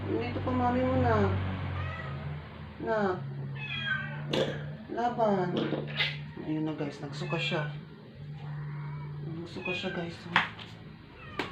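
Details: Sick rescue stray cat kept indoors, near death after twelve days without eating and a vet injection; a long run of short, arched, strained meows repeated every second or so, over a constant low hum and occasional human speech.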